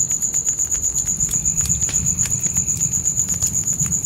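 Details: Crickets at night, heard with a crackling campfire in a tent by a forest: an unbroken shrill, high trill pulsing roughly four times per second over popping fire clicks and a deep, steady low roar.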